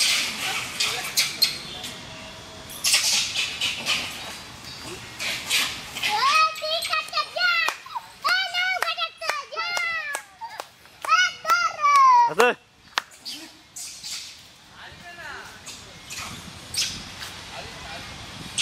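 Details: Hanuman langurs give loud, harmonic squeals in quick, arching bursts as two rival troops clash over food, habitat and a female, with alpha males fighting to defend their females and young.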